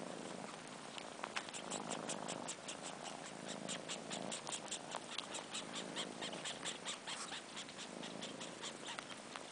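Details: Two four-month-old sibling kittens missing their mother nurse on long fur. A soft purr pulses under a dense stream of slurpy clicking sucks that come several times a second.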